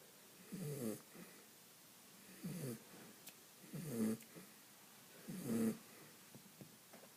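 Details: Sleeping dog snores in four rough, vibrating breaths about every one and a half seconds, with faint snuffles and soft breathing noises between the louder snores.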